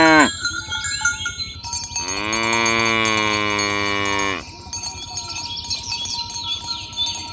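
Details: Tame cattle herded toward the pen on village roads in the morning, calling others to gather: one long, steady, richly harmonic moo held for over two seconds, with clinking cowbells and chimes throughout.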